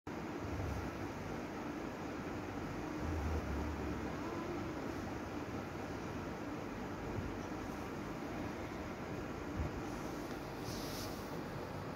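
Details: Continuous broadband rumble like a passing train or vehicle fills the scene, steady throughout with no animal voices.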